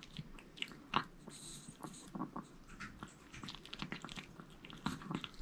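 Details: Maltese dogs eating a whole sweet potato indoors: irregular wet chewing and crunching bites, short broadband clicks and smacks scattered through the clip, with a quiet room background.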